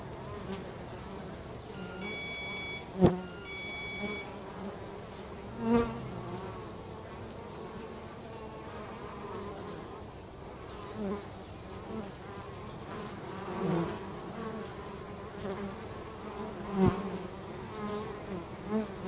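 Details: Bees working at home hum in a low, fluctuating drone as individual insects pass closer and louder. A brief electronic beeping sequence and a few sharp taps sound early on.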